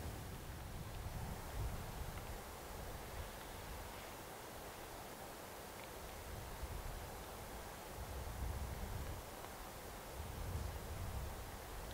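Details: Outdoor rural ambience of steady wind and rustling, with no animal calls heard.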